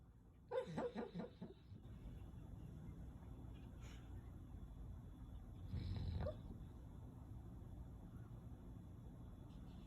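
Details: Sleeping Golden Retriever Natsu, a timid four-year-old male, naps against a door threshold and talks in his sleep: a quick run of muffled, whimpering yips near the start, then a single low snorting huff midway, with steady room hum between.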